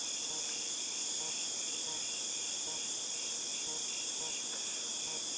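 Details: Cicadas in August 2018, heard as a dense, shrill, unbroken high drone with a softer rhythmic pulsing buzz running beneath it.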